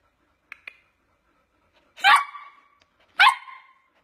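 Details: Samoyed puppy giving two short, bright barks about a second apart, each a harmonic burst trailing off quickly, preceded by a couple of faint clicks.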